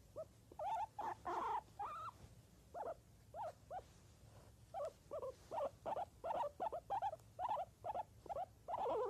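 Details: Guinea pig giving a lively series of squeaky, slightly nasal notes, some rising and some falling, in uneven bursts roughly one to three per second, over a faint low hum.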